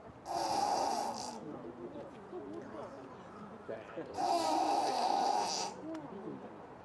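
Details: Nasal sounds from an awake-looking hippo with open eyes, possibly snoring: two harsh, droning nose blasts, the second longer at about one and a half seconds, over a background of low human chatter.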